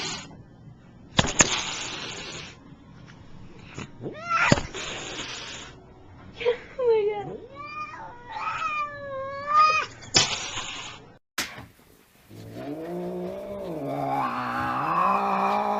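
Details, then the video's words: A fat male house cat, threatening to lunge, alternates long breathy hisses with rising and falling yowls indoors; several broad noisy hisses stand out between the tonal moans, and people talk in the background. "Cute cat’s Hissing sound"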